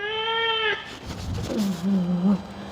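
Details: Cat undergoing ear cleaning lets out a level, harmonic meow that cuts off sharply, then a lower, wavering murmur amid rustling handling sounds.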